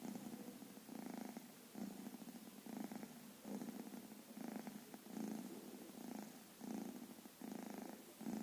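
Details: Baby cat with black and white fur asleep on a blanket, snoring loudly: low breathy purring pulses in steady cycles, about one breath every second and a half, in a quiet room.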